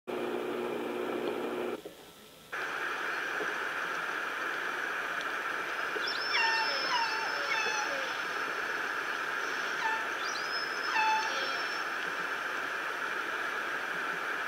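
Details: Orcas heard on the Lime Kiln hydrophone off San Juan, Washington, around 11 p.m. during a very active stretch: two bursts of squealing, sweeping calls with falling harmonic tones, about four seconds apart, over constant underwater hiss.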